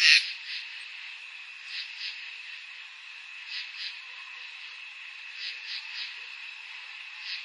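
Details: Crickets on a summer night: a steady, even high-pitched trill runs throughout, with soft pulsed chirps rising out of it every second or two and one brief sharp sound at the start.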